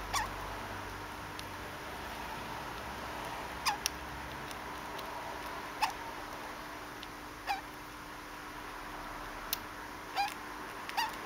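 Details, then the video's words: Pet degu named Conan hiccuping: short, abrupt clicky hics with a faint squeaky tone, recurring every one and a half to two seconds, about six in all, over steady indoor hum. "デグーのコナン しゃっくり Degu has a hiccup"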